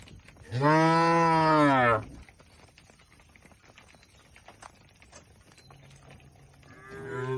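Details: Tame cattle inside a shed at a village farm: one loud, rich, level moo, then quiet with faint clicks, and a second moo starting near the end.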